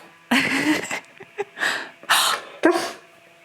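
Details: Keyush, a male pet dog indoors in a small room, reacting to his owner's dramatic gasping: a few short, breathy, rising and falling 'talking' sounds with a low tonal whine, separated by quick sniffs and clicks.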